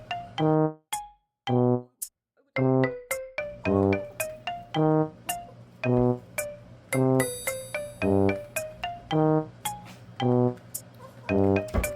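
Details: Bouncy mallet-style music with evenly repeated plucked notes and a short pause near the start.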